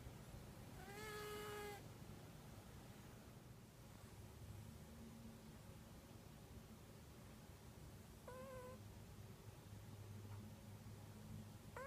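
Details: Kitu, a female domestic cat, snoring in the deepest sleep, recorded on an iPhone: two high, whistly, harmonic tones about seven seconds apart, the first lasting nearly a second, with a faint third trace and quiet indoor room hiss.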